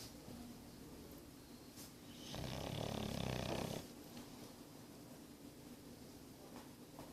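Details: An English Bulldog named Boris, nine months old, snores. A single drawn-out, throaty rumble lasts about a second and a half, then gives way to faint breathing in a quiet indoor room.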